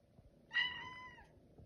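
A Siamese cat gives a single clear, slightly falling meow, asking for food.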